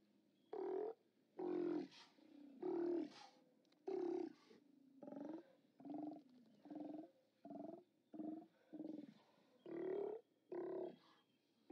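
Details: Steller sea lions at a haulout, filmed on 29 October 2017 by a live camera: a steady series of short, harsh, throaty roars, about one each second, several animals calling in turn with brief gaps between blasts.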